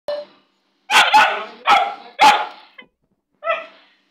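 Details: Black female Labrador dog barking indoors: four loud, sharp, harmonic barks in quick succession, then a short pause and a softer, higher bark.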